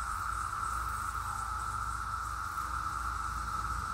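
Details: A dense chorus of flying 17-year periodical cicadas makes a continuous, even-pitched droning whine that never pauses, over a soft, low rumble like distant wind or traffic.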